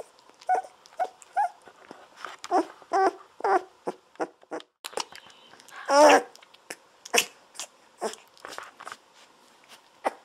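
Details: Golden Retriever puppies at day 17, bottle-fed milk on their backs indoors; steady clicking and sucking sounds with small squeaks, broken around the middle by one louder, drawn-out wavering squeal.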